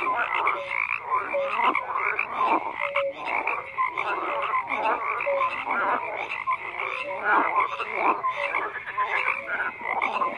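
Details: Frogs croaking in a thick continuous chorus, harsh pulsed calls overlapping with short tonal notes at irregular intervals.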